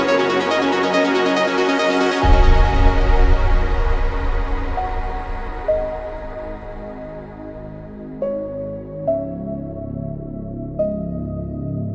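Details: Soft ambient electronic music with sustained synth pads and a few piano-like notes, no animal sounds.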